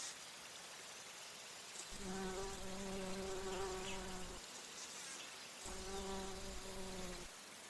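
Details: Bumblebee flying and drinking nectar at flowers: a low, steady hum with many stacked overtones. It comes in two bursts, about two and a half seconds and then one and a half seconds long, over a faint high insect hiss.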